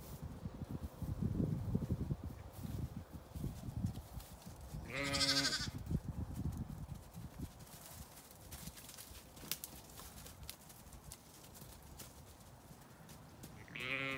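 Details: Lambs let out to play on a sunny day on a regenerative pasture farm in County Kilkenny, Ireland; two brief, wavering bleats stand out midway and at the end over low rumbling movement and ground noise.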